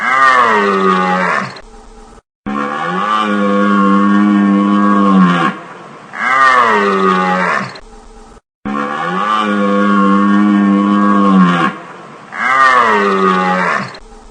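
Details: Repeated deer calls: drawn-out, deep, resonant bellows of about two to three seconds each, ending in a short downward slide, coming roughly every three seconds with short silences between.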